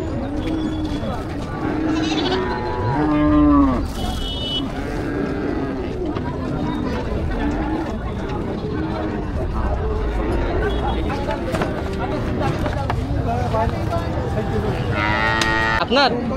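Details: Cattle at a crowded Qurbani cattle market in Parulia, Satkhira, Bangladesh, in the week before Eid al-Adha 2025; drawn-out lowing moos rise over constant crowd chatter and voices bargaining over prices.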